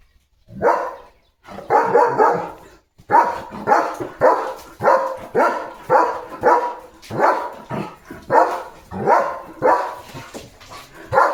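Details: German Shepherd named Leo, a pet dog, barking while playing with a water mug held in his mouth; a steady run of loud, sharp barks roughly every second after a brief pause, with no other clear sounds.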